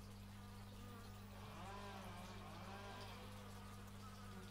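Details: Close fly-by of bees in nature, x/y stereo recording: a buzzy tone bends upward then sweeps down again within seconds, layered over a continuous low droning hum.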